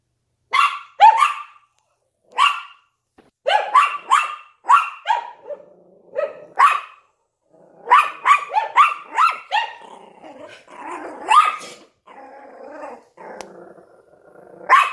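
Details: Yorkshire Terrier barking at a window alongside a Lhasa Apso: a rapid run of sharp, high barks, some doubled, with quieter whines and growly sounds between bursts and a brief pause near the middle.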